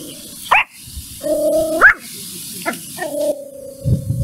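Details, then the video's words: Mimi, a puppy, angry at a stranger: three sharp high yapping barks, with drawn-out, steady whining tones held between them, over a low rumbling background. "Mimi angry and barks at strainger"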